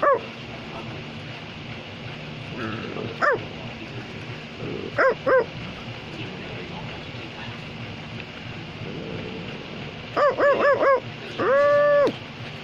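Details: A male Australian Labradoodle barks on command, giving short, high barks, then a quick run of yips and one drawn-out bark.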